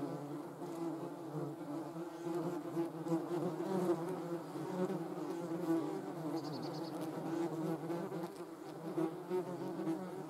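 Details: Several German wasps (Vespula germanica) in flight, giving a steady, low, layered buzz with shifting pitch as individuals move closer and farther. A brief faint high tone is heard midway.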